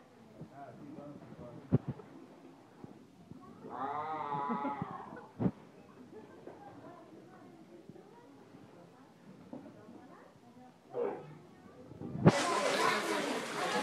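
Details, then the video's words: Seal giving a single loud wavering yell lasting about a second amid scattered knocks and low rumble, followed near the end by a burst of harsh broadband noise. "yelling seal"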